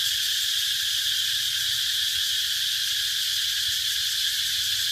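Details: Unbroken cicada chorus, a loud, even, shrill hiss-like buzz that never wavers in level, over a soft low rumble.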